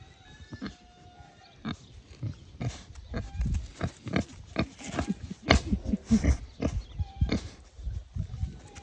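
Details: Pair of tame young wild boars, one of them a bit unwell after a stomach upset that morning; low, snuffling grunts come in quick irregular bursts, growing louder and denser toward the middle and end.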